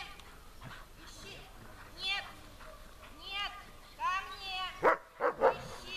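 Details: German Shepherd named Besser in protection training, barking at and searching for the helper under harder conditions; tonal, harmonic vocal sounds give way to three sharp, loud barks in quick succession near the end, with voices in the background.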